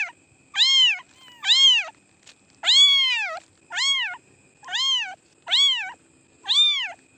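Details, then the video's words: Cats meowing in a run of seven high, arched meows, each rising then falling, spaced about once a second over a faint steady whine. "cats meowing sound effect"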